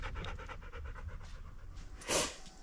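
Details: Husky panting on a warm day when the family washes its coat: quick rhythmic breathy pants about four per second, then a loud brief burst of noise near the end.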